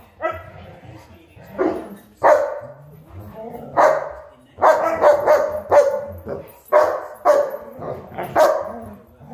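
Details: German Shepherd and Huskies play fighting, with gruff, mid-pitched barks and yips coming in uneven bursts, some single and some in quick doubles, over a busy background of scuffling noise.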